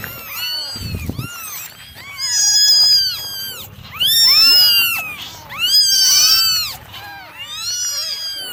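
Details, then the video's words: Morning drying session for nine domestic kittens, several meowing at once with bright, bowed, high-pitched calls; three strong bursts of overlapping cries, a short low thump near the start, and a steady faint hum. "9 Kittens Meowing Original Sounds"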